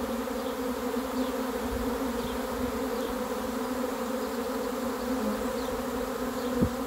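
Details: Steady hum of a honey bee swarm on arrival, a thick unbroken buzz with stacked tones. Faint brief chirps sound every second or so, and a single knock comes near the end.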